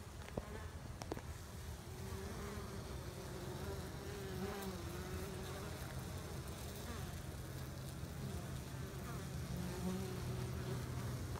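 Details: A steady, droning hum of many honey bees, low and continuous, as they washboard, moving back and forth a few steps at the hive front as if cleaning it.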